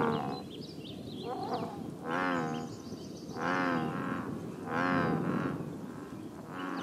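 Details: American bullfrogs at a scenic pond in Northern California give deep, resonant, cattle-like moaning croaks, each under a second, in bursts about every one and a half seconds, amid music.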